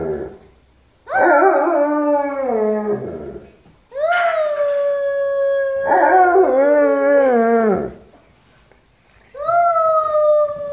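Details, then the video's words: Alaskan Malamute named Benz howling with its family as they sing together like a choir. Long drawn-out harmonic howls come in four bursts separated by short silences. Some howls hold steady, while others slide downward at the end. "Dog Singing | Alaskan Malamute make choir with Family"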